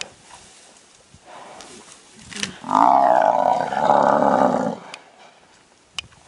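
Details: Lioness attacking a buffalo at Londolozi in Africa, the buffalo throwing her around. A loud, drawn-out harmonic roaring bellow lasts about two seconds, set between quieter rustling and sharp clicks.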